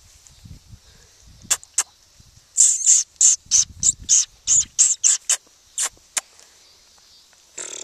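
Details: Very young Maltipoo puppies, a couple of weeks from going home and barely moving yet, give a run of about a dozen short, shrill squeaks in quick succession, with a few soft low rustles beneath.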